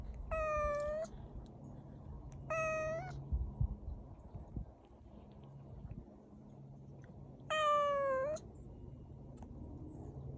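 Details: Kitten, tagged as a street cat, out on a walk on a warm spring day; three drawn-out, clear meows, each slightly falling then lifting at the end, spaced a few seconds apart over a steady low rumble of background noise.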